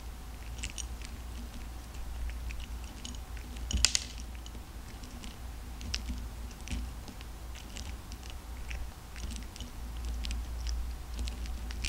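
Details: Cat crunching dry kibble, restless yet eating eagerly; steady run of sharp, dry crackling bites through the whole stretch, one louder crunch near the middle, over a low indoor hum.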